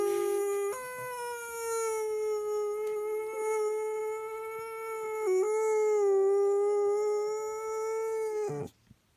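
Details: Loud, sustained dog howl that holds almost one pitch for about eight seconds, with strong layered overtones and a brief dip partway through before stopping abruptly.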